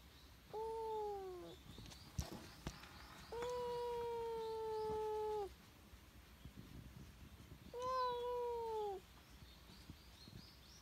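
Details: Stray cat seemingly pleading for something, giving three long meows a few seconds apart, each steady and slightly falling, the middle one longest; faint outdoor background and a couple of sharp clicks.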